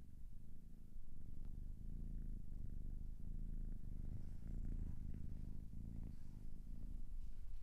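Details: Cat purring at a low, soft level, a deep buzzing rumble swelling with each breath every second or so, steady over several cycles.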